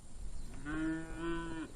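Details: Cattle brought on horseback by local ranchers to the Janos Plains of South America after the rains return, near a burrow of young owls. A single low, hoarse moo of about a second sounds at a distance over a quiet background.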